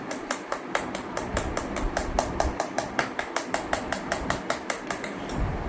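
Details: Sharp clicking taps repeat roughly five times a second over a steady low rumble indoors, with no animal voice heard.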